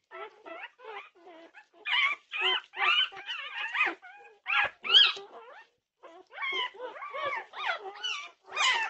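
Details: Several Norwegian Buhund puppies crying in the night at 2:30am, June 8, 2021: short pitched whimpers and yips, wavering and bending upward, coming in dense clusters broken by a short quiet gap.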